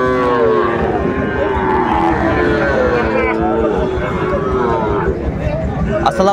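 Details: Sahiwal bull calves at Ambari cattle market (haat), Dinajpur, Bangladesh, on 11 March 2024 at the start of Ramadan: drawn-out, low harmonic moos over the first three seconds, with steady crowd chatter and market noise throughout.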